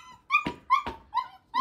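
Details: Belgian Malinois puppy, a 44-day-old female from a litter, indoors, giving four loud high-pitched yelping cries, each harmonic-rich and rising then falling, spaced about every 0.4 seconds.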